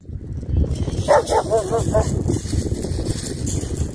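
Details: An excited German Shepherd on a spring beach walk in the UK on 29 March 2021, playing fetch, gives a quick run of short, high, yelping barks over steady surf and wind.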